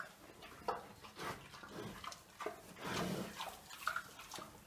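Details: Three-year-old domestic pig Dezső, also called Toka, at Bálványos on 16 July 2018. While being fed kitchen scraps and green waste, he picks out fresh beet tops and mallow. Short, irregular, breathy grunts come through, mixed with wet munching noises.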